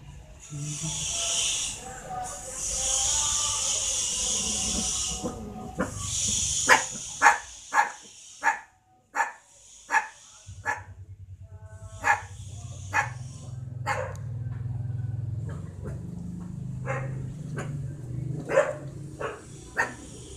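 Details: Puppy, at a friend's house with many dogs, barking out of fear and confusion at a stranger it is meeting for the first time. The first seconds are a steady hiss, then sharp, short barks come in quick bursts, followed by quieter scattered barks over a low hum.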